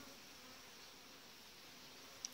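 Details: Honey bees of a well-developed July colony with a breeder queen, buzzing inside the hive; an even, soft, wide hum with one brief sharp click just before the end.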